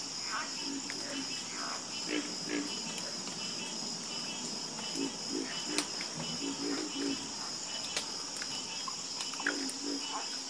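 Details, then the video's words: A frog chorus at night, with scattered low croaks that come in short bursts and irregular pairs. A steady, shrill background hum runs throughout. "Sleep Like A Baby With The Calming Sound Of Harmonious Frog Croaking"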